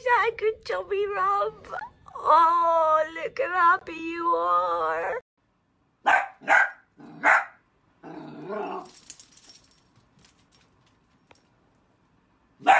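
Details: Miniature dachshund at play gives a run of drawn-out, wavering, whining howls for about five seconds, then three short sharp vocal bursts, followed by soft rustling, near silence and a final brief sound.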